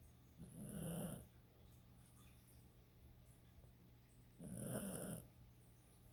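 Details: Domestic dog snoring, two long rasping snores about four seconds apart, each a low throaty rumble with soft airy hiss, the pause between them filled only by a faint steady background hum.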